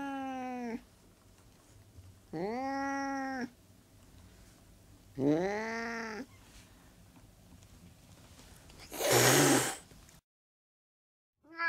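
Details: Domestic cat giving three drawn-out, harmonic-rich meows, the third rising then falling, followed by a loud harsh noisy burst and a brief silence.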